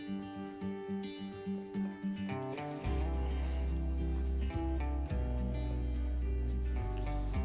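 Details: Soft acoustic guitar notes open the passage, then a sustained low bass joins the melody. No animal calls can be picked out beneath the music.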